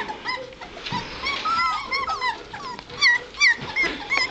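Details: White Shepherd puppies of a litter two and a half weeks old, starting to get around: several high, squeaky whimpers and yips rising and falling, overlapping from more than one pup.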